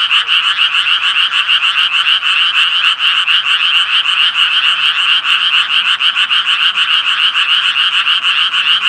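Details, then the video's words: Tree frogs croaking in a dense chorus: fast, raspy pulses repeated over two steady bands, a lower and a higher one, with no gaps and no other sounds. "청개구리 울음소리"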